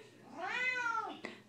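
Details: A female Siamese cat gives one long, drawn-out meow that rises, holds and falls, singing along as her owner sings "On My Own" from Les Misérables.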